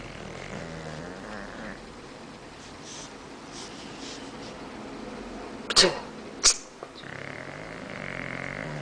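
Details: Bulldog snoring in a living room: a low, harmonic rasping snore at the start and again near the end, with two sharp clicks in the quiet gap between.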